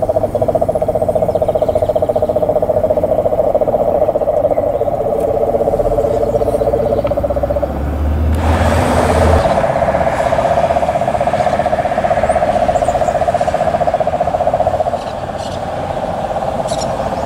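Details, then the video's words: Cane toad (Rhinella marina) at Palm Beach, Aruba, on 19 November 2017: a continuous, rapid mechanical trill held steady for the whole recording, with a brief low rumble like a passing vehicle midway. "Voice of Rhinella marina"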